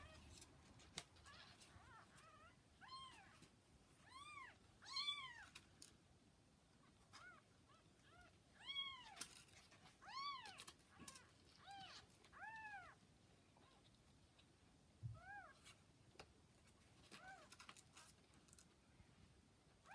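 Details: Kittens around 40 hours after birth beside mother cat Hana, sending out a steady series of clear, arching, high-pitched mews roughly every second, some louder, with faint clicks and rustling indoors.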